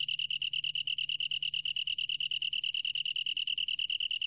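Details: High, ringing pulsed trill of a long-tailed tree cricket, short rapid chirps repeated about three times a second in a steady rattling run.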